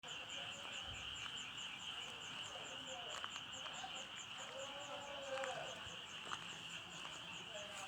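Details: Frogs calling together: a steady high trilling band with rapid pulsed notes above it, plus a few lower wavering croaks midway.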